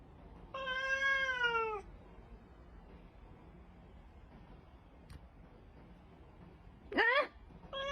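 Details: Domestic cat giving love bites: a drawn-out harmonic meow that starts high and slides downward over about a second. A second short, rising-falling meow follows near the end in a quiet indoor room.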